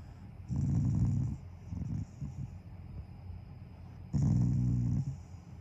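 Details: Affectionate growling from Taiga, a family Shiba Inu lying down and showing love to its owners. A low rumbling growl of about a second, a few soft grunting bursts, then another one-second growl.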